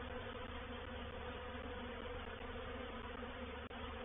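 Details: Honey bee reproductive swarm moving into a bait hive, Painted Peacock Manor, 04/07/21: thick, steady, rushing buzz of many bees filling the whole stretch, with one tiny click near the end.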